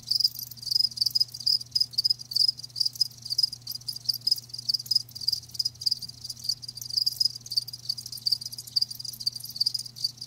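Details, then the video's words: A live cricket chorus for ASMR: rapid, sharp high chirps repeat without pause in a dense metallic trill, backed by a low constant hum. "Live Crickets 60min "Natural Sound" ASMR"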